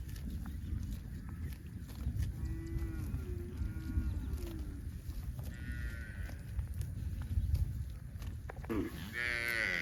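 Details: Cows walking home across a pasture in light evening rain, one calling to the herd with calves following; soft drawn-out moos rise faintly through steady rain patter and low rumbling background, with a louder, higher call at the end.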